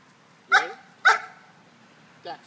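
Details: Female German Shepherd playing football, running a route and catching a pass; two sharp barks about half a second apart, then a softer third bark near the end.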